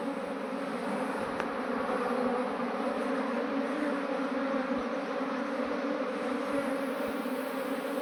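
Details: Honey bee swarm that had left its colony, being moved into a modern hive; a dense, steady droning buzz holds evenly throughout with layered low hum bands and no pauses.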